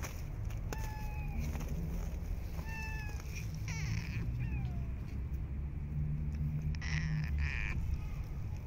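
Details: Street cats being fed outdoors in cold, snowy winter weather. Several drawn-out meows, some with a falling tone, come at irregular intervals over a steady low rumbling hum.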